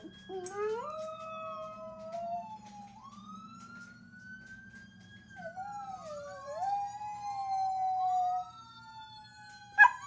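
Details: Ruby, a one-year-old mixed-breed dog (chihuahua, pitbull, German shepherd, Jack Russell terrier and rat terrier), howls in response to passing fire trucks: long sliding wails that rise and fall and overlap the wavering tones of the sirens, ending in a sharp click.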